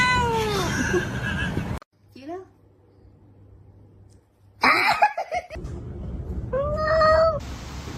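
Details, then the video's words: Domestic cat meowing several times: a falling meow at the start, a cluster of short cries midway, and a clear rising-falling meow near the end, with human speech and background hum. "cats meowing"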